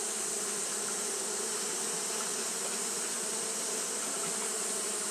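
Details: A hot-day recording of Japanese honey bees fanning nonstop; the low, even buzzing drone holds steady with little variation, accompanied by a continuous bright high hiss.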